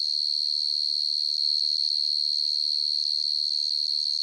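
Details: Cricket known locally as dế mèn or dế cơm calling at night, a sustained high-pitched pulsing trill that holds steady throughout, nothing else audible.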